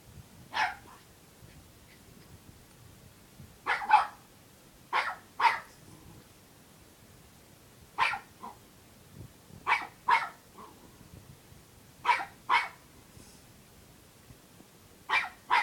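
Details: Unhappy puppy barking to get a person to play: repeated short, sharp yaps, often in doubled bursts, roughly fourteen in all at irregular intervals, with a faint soft whimper between.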